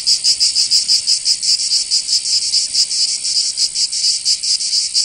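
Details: Cicadas in Provence, southern France, in summer: loud shrill buzzing with irregular throbbing pulses riding on a constant high hiss, the chorus filling the whole recording.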